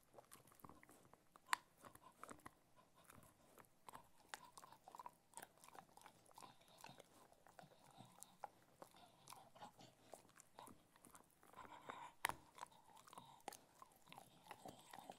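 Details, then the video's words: Cocker Spaniel eating food, close-up ASMR recording indoors: scattered sharp crunches and wet chewing clicks at irregular intervals, with a few louder bites standing out against a quiet room. "Cocker Spaniel Eating Food - Relaxing Dog ASMR Sounds"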